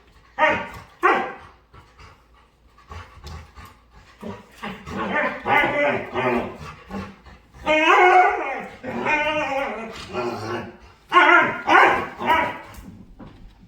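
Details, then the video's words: Playful dog making odd noises and dancing during play: loud bursts of harmonic, whiny yowling and howl-like calls that rise and fall, coming in uneven groups with short quiet gaps, about eight bursts in all, with no other clear sounds. "Cutest Dog Making Harlious Noises And Dancing While Playing"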